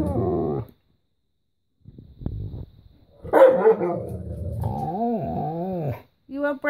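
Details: Pet Alaskan Malamute and Husky indoors, calling out because they want their breakfast: drawn-out, wavering howl-like woo sounds rising and falling over a second or so, after a woman's coaxing speech, with another short vocal burst at the end.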